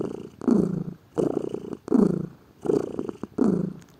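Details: Pet cat purring: five rough, low rumbling bursts, each roughly half a second long, separated by quiet gaps as the cat breathes in and out.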